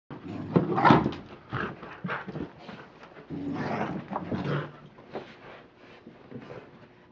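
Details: Rocky, an American Pit Bull Terrier playing with his toy indoors, gives low rumbling growls and grunts in uneven bursts, with a louder throaty burst near the start and softer huffs and scuffling between.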